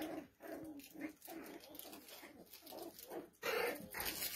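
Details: Several poodle puppies whining and yipping almost without pause, their nasal, wavering cries overlapping, with a louder burst of squeals near the end.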